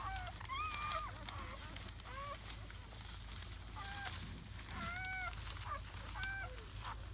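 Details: Seven newborn German Shepherd puppies, four males and three females, in their first hours after birth on May 8, 2017, at the Vom Barron's Pride kennel: thin, rising-then-falling squeals with bright overtones, repeated in short bursts over a steady low hum.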